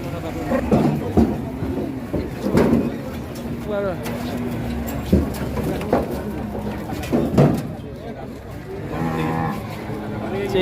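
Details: Cattle in a fury after coming down from a truck, so wild a horn came off, low repeated moos broken by thumps and knocks, with people talking and shouting throughout.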